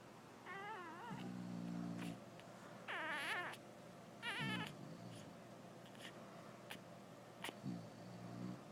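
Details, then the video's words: English bulldog female snoring while her pup nurses; low grating snores repeat between breaths, overlapped by high wavering squeaks and whines rising and falling in quick bursts. "English bulldog snoring"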